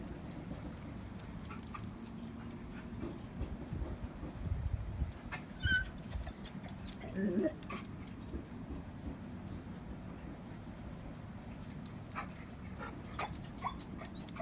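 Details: A pet dog whimpers while neighbours make noises: a few faint, short whining tones around the middle, one high and thin, then a lower wavering whine, over a steady low indoor rumble with scattered clicks.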